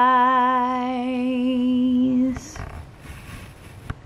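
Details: A woman hums a soft lullaby on a steady note for about two seconds, then the room falls quiet apart from faint rustling and camera clicks.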